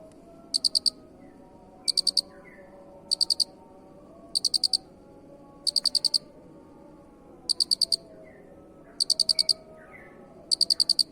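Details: A cricket calls steadily with eight short chirps of three to four fast pulses each, recurring about every 1.3 seconds; faint low background noise underneath.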